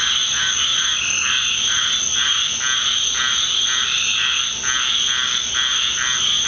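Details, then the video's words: Dense frog chorus in a Deep South backyard at night after a rainstorm: a continuous high trilling band with overlapping pulsed croaks repeating roughly twice a second, loud and unbroken throughout. "Orchestra of Frogs with Ducks"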